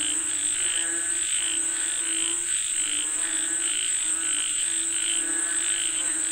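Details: Massed frogs call for rain, their rough rhythmic croaks pulsing irregularly about once a second, layered over an unbroken high-pitched insect hum.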